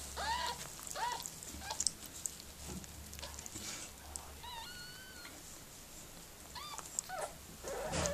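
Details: Miniature Pinscher named Mirella giving birth to puppies; thin, high whining whimpers come in short arched bursts, with a longer wavering whine in the middle and quiet pauses between.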